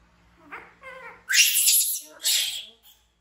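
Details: Baby monkey Bean, frightened, screaming as it runs to hug Poppy Brown, with Momo nearby: a couple of short squeaky cries lead into two long, piercing, harsh screams separated by a brief pause.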